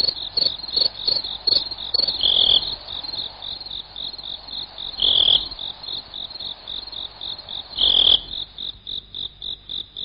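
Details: A cricket gives a continuous run of shrill, evenly spaced chirps on one high pitch; every few seconds a louder, slightly lower trill stands out above the steady pulsing.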